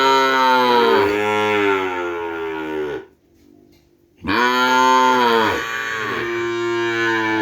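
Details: Deep moos from Madura cattle, seed stock for kerapan bull racing from Sapudi Island: two sustained, harmonic-rich bellows of about three seconds each, split by a brief silence.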